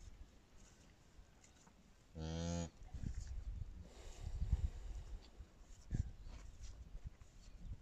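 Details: Brown cow calving on its own in a Kazakh village; one short, strongly harmonic low moo lasting about half a second, followed by rustling and low rumbling farmyard noise.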